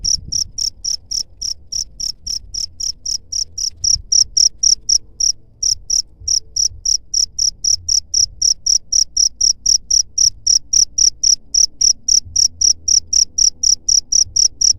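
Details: Chirping cricket used to scare off rats, a long unbroken run of sharp high-pitched pulses roughly four per second, fairly even in loudness, with little else heard.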